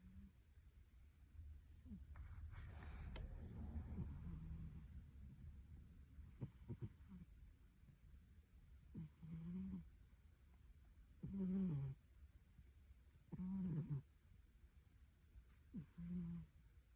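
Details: Sleeping calico cat snoring: short, rasping bursts come about every two seconds in the second half, each with a breathy hiss on top. Softer, rustling breaths fill the opening seconds.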